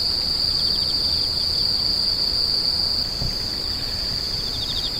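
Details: Screeching insects: a piercing steady high trill with quieter rapid chirps pulsing beneath it, about four per second, and a soft low background murmur.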